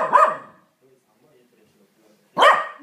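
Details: A corgi angry at a vacuum cleaner that is not running gives two sharp, harsh barks about two seconds apart, and is scolded by its grandmother.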